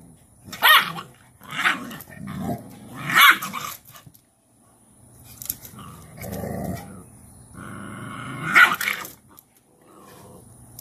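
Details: Cashmere, a Cane Corso mother, disciplines her bossy female puppy by pinning her into submission; deep rumbling growls break into several harsh snarling bursts, with short pauses of quiet between them.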